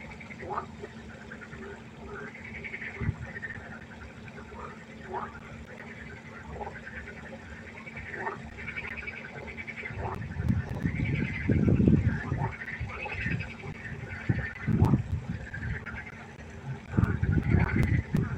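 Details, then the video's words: Frog chorus croaking at night by a pond: overlapping short arched notes repeat steadily, about four per second, with louder low rumbling bursts of croaks after the first ten seconds. "1 Stunde Froschkonzert. Frosch Geräusche quaken."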